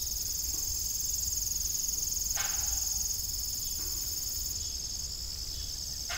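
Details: Evening crickets at an old farm with a disused windmill, giving a continuous high, buzzy trill that is steady in loudness, with two brief creaking knocks and a faint low rumble beneath.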